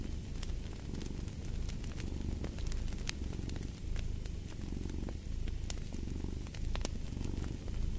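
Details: Continuous low purr from a cat, pulsing in slow rhythmic cycles of inhale and exhale, overlaid by frequent snapping crackles from a burning fireplace.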